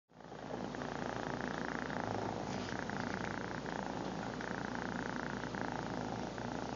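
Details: Lil BUB the cat purring, captured up close on a phone camera; a steady, dense rumbling purr runs continuously without break, with a faint hum beneath.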